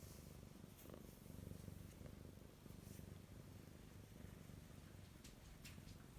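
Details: Domestic cat acting affectionate indoors while the household dog is away, giving a soft low continuous purr, steady rumbling pulses throughout with faint light rustles.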